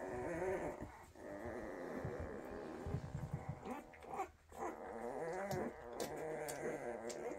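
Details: Young Weimaraner puppies from a 2023 litter, quietly settling indoors: steady low grunting and soft wavering whimpers overlap continuously, with occasional snuffles and rustling.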